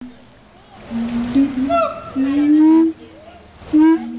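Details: Siamangs at Riverbanks Zoo the day after Christmas, singing their territorial duet: sustained low hoots rising into sharp barks, separated by quieter pauses.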